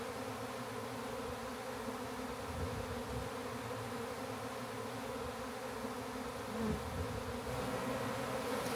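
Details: Massive honey bee swarm found in a backyard and being captured for a new hive; steady dense droning hum with a low rumble throughout, brief knock near the end.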